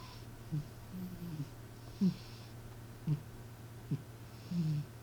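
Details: Sleeping cat named M snoring indoors with a human-like snore: a few short, low, descending groans and snorts at irregular intervals over a constant low electrical hum.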